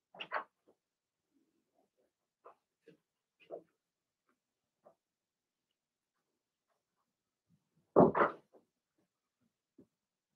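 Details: Blenheim Cavalier King Charles Spaniel puppies from Remy's first litter of six in an indoor home puppy pen during potty training. Scattered short squeaks and grunts lead up to one loud, broad yelp near the end, then quiet.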